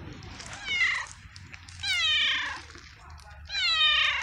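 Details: Very young male stray kitten living on the street, fed daily by a person; three loud, clear meows, each falling in pitch and about half a second long, spaced roughly a second apart over low background rumble.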